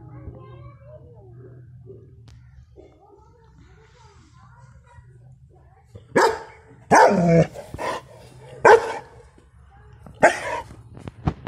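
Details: A 6-month-old male German Shepherd lets out loud, deep, full-throated protective barks after a quiet stretch of soft murmuring voices.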